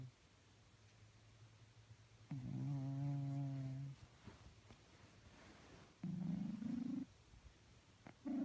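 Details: Snoring from a sleeping cat. A low humming breath lasts about 1.5 seconds, then a shorter one rises slightly in pitch, and a third begins at the end. Soft faint background between breaths.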